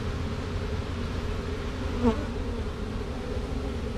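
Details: Honey bee swarm marching into a hive box after being shaken from a tree branch, two queens present; steady low droning hum of many bees, with a brief higher buzz of a single passing bee midway.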